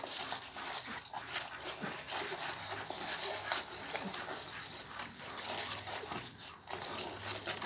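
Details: Soft whimpering and faint squeaks from day-two newborn Pit Bull puppies, spread irregularly through the recording, with a low hum at times and a constant high hiss behind them.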